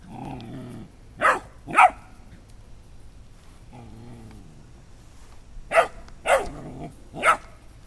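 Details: Dobermann puppy seeing a beach ball for the first time, giving five short sharp barks in two bursts, two close together early and three more about half a second apart near the end, with faint low whines between.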